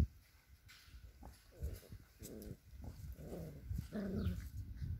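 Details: Male border collie puppies, six weeks old, at a working-dog kennel in Kyiv, Ukraine; a series of four short, soft whimpers about a second apart, the last a little longer, with rustling and low background noise.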